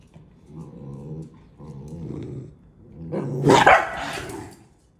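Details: A Corgi facing off with a Cavalier spaniel growls low and rumbling twice, then lets out a sharp, loud bark.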